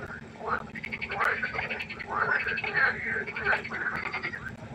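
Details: Frogs calling by a pond at night, a continuous mesh of buzzy pulsed croaks from multiple animals, steady and overlapping throughout.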